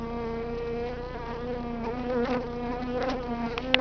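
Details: Swarm of honey bees from hives being cut out of a stucco wall in Alhambra, March 30th: a continuous droning buzz with overlapping wavering tones and a sudden click at the end.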